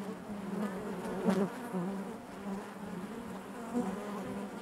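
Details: Honey bees buzzing inside their hive: a steady low drone with a strong band near 200 and 400 cycles, overlapping wing hums swelling and fading, a brief louder surge around the middle.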